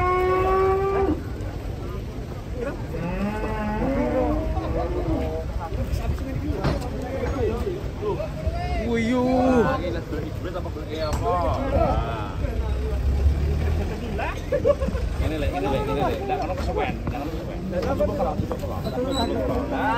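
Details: Giant cattle lowing in a series of drawn-out, rising and falling moos over twenty seconds, with people talking throughout and steady background noise.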